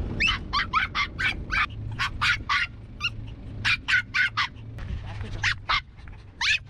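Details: Maltese dogs on a seaside trip to the coast, yapping in quick high-pitched barks, roughly four per second in uneven bursts, over a low steady hum of background noise.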